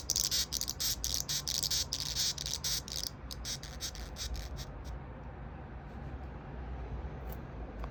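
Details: White-striped longhorn beetle giving its warning threat sound from the stridulating organ at the neck when a hand comes near, without being touched, on 11 July 2021 at 21:23; harsh rapid rasping pulses for about three seconds, then quiet.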